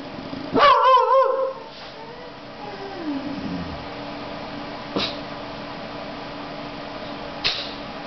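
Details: An 18-week-old Boxer puppy barking for the first time gives a single high, wavering yip-like bark, followed by quiet room noise.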